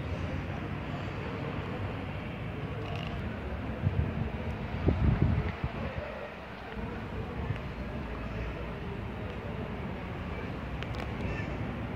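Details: Outdoor street ambience with wind, a passing vehicle and faint human voices, but no animal calls.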